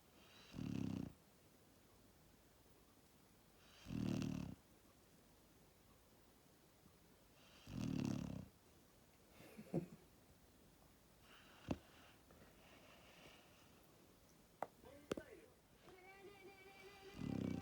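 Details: Asleep, the Labrador Retriever puppy Max, born 1 October 2019, snores in deep, rumbling bursts repeated about every four seconds. Small clicks and a brief higher whine come between the snores.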